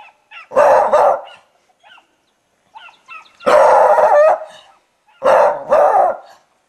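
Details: Beagle (Canis familiaris), bark.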